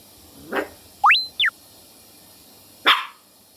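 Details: Schipperke × Chihuahua mix puppy, one of a pair of littermate sisters, alarmed at its own shadow: a short bark, a quick rising-then-falling squeaky tone, then another sharp bark after a pause.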